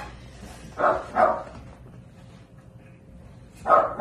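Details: Miniature Dachshund at a breeder's home; two quick high yapping barks close together, a quiet pause of about two seconds, then two more short barks.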